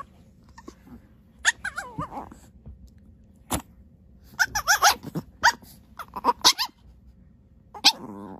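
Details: Puppy letting out short, high, wavering whines, then a quick cluster of sharp yelps in the middle and one last squeal near the end, with a faint low hum underneath.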